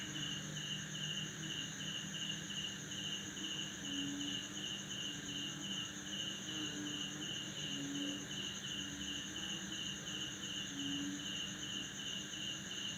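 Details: Male crickets chirping at midnight in a lemongrass backyard in Banda Aceh, Indonesia, after a heavy December downpour, calling to attract females with their wings. Rapid pulsed chirps repeat steadily over a constant high insect drone, with short low frog croaks now and then.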